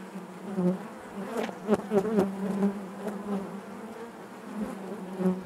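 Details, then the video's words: Constant low hum of honey bees in the hive, several sharper near-passing buzzes clustered in the middle, the drone otherwise even and unbroken throughout. "bees therapy hive natural buzzing sound"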